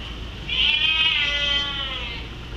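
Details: A Bengal cat crying indoors because he wants to go upstairs: one long, drawn-out, strained meow lasting about two seconds, rising then slowly fading, over a quiet low hum.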